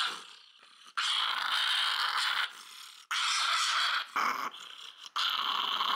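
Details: Puri, a three-year-old female mame Shiba Inu kept as a pet in Fukuoka, Japan, has her nails cut. She gives harsh, noisy snarling bursts, each lasting about a second, with brief quiet gaps between them.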